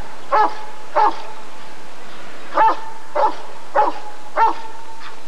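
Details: Rottweiler at the ADRK breed survey (Körung) of 1994 barking: two quick barks, a gap of over a second, then four more roughly every 0.6 seconds, with a steady tone beneath.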